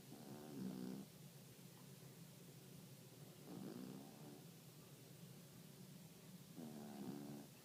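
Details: Sleeping Yorkshire terrier during a midday nap, producing three wheezy, nasal snores roughly three seconds apart, each swelling briefly then fading, over a faint steady background hum.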